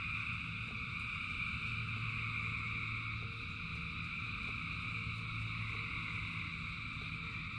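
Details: Frogs calling in large numbers during rain, forming a continuous shimmering drone of overlapping high trills, faint clicks recurring roughly every quarter second, all set against heavy rain noise and a low hum.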